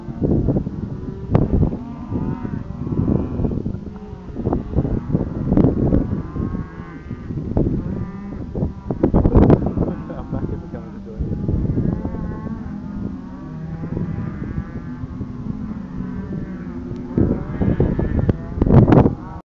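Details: Cattle herd running over a hill near Second Valley Forest and Deep Creek Conservation Park, South Australia, three alpacas following, recorded on a Galaxy S II phone; repeated deep moos from several cows over heavy thumping and wind buffeting.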